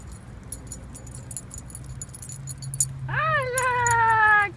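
A Bull Terrier gives a drawn-out, slightly falling whine after jingling, clattering sounds.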